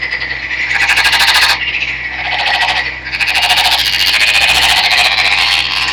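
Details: A captive green-coloured male Nagoya Daruma pond frog, caught by net in a stream in Japan, calls energetically before clasping a female: rapid rattling, buzzy pulses in continuous bouts separated by brief pauses.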